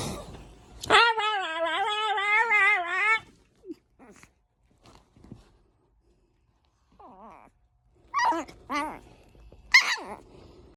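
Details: Four-month-old female merle Chihuahua puppy newly brought home, 'talking' with a long wavering whine lasting about two seconds, then faint short whimpers and a few sharp high yelps near the end.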